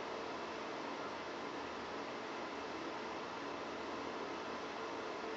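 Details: A steady broadband hiss like a fan or air conditioner fills the room without change, with no animal sound present.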